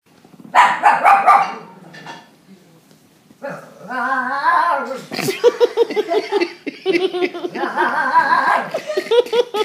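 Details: A Pekingese barking at a German Shepherd on TV during family movie night gives a burst of yappy barks, then wavering, whiny yowls, with people talking and laughing.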